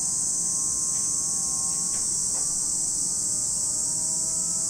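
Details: Constant high, sizzling drone of cicadas over Lake Kamo in Sado City, Niigata Prefecture, Japan. A few soft clicks are heard, and faint low humming tones sit in the background.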